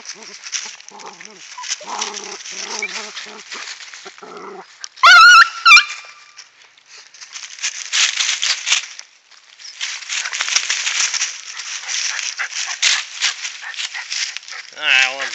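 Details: Rat Terriers at work digging a cornered opossum from a woodland den on an afternoon, phone-recorded: a brief, intense, warbling high-pitched yelp-whine mid-clip and a rising whimper at the end amid constant rustling, scraping digging sounds.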